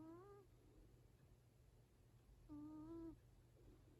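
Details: Yaju, a seven-year-four-month-old Exotic Shorthair, snores while asleep. Two short, reedy, whistle-like snores are separated by about two seconds of near silence.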